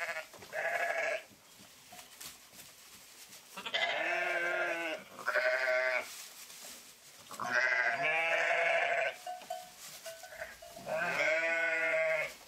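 Sheep bleating in long, wavering, nasal calls repeated every few seconds.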